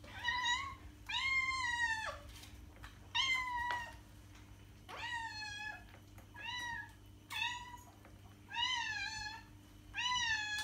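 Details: {'text': 'Meowing cat used to attract other cats: about eight clear, plaintive meows spaced roughly a second apart, some rising at the end, over a low steady hum.'}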